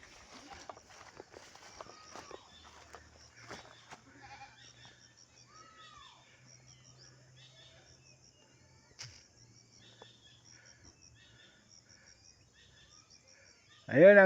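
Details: Goats, three does each with a kid: two thin, high, arching bleats early on, then a long quiet stretch with rustling and a man talking, ending in a loud, harsh bleat right at the close.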